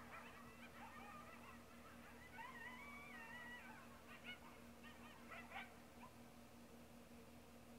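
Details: A coyote pack in Sonora, California yips and howls together in a jumble of high, wavering, overlapping voices.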